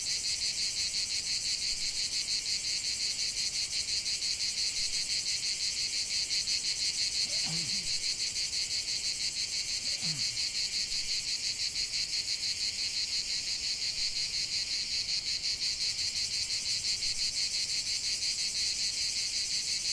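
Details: Cicadas singing in a lavender field: a dense, continuous high buzzing drone pulsing about three times a second, steady throughout, with two faint low sliding sounds briefly in the middle.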